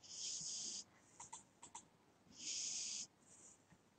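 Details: Snoring from a cat fast asleep: two long, airy, whistling wheezes about two seconds apart, with a few short snuffles between them.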